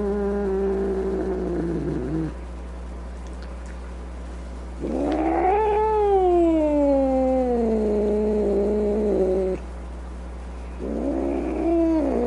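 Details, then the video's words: Angry domestic cat producing three drawn-out moaning yowls separated by quiet gaps; the middle one swells upward then slowly falls, lasting nearly five seconds. "Cat Angry Sounds | Cat Snarling, Cat Hissing, Cat Moaning | Angry Cat Sounds"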